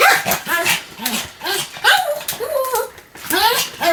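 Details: Pomeranian barking continuously, short yappy barks with curved, wavering tones coming in a rapid string, some drawn out into whiny yelps, with possible voices mixed in.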